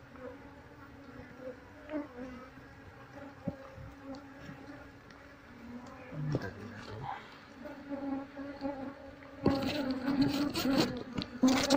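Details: Indoor honey bees relocated into a cardboard box as their queen is searched for: a constant low hum, then louder crackling handling noise and a thicker burst of buzzing toward the end.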